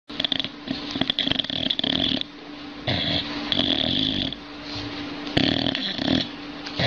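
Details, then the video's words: Dog snoring while asleep on a sofa indoors: rough, wheezy breathing bursts with a steady low hum and hiss, repeated in uneven pulses, ending as the dog wakes. "Собака храпит на диване!"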